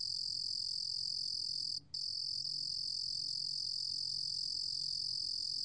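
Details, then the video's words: Korean cricket species, 2020 recording from a national biological resources institute, trilling in a continuous, shrill high-pitched buzz, cut by a short silent gap just before two seconds and then resuming unchanged. "루루곰귀뚜라미, 여러번 듣기, 곤충소리"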